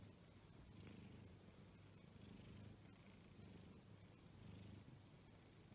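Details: Exotic Shorthair cat purring, a low steady rumble with soft pulsing swells roughly every second, close and quiet with faint background hiss.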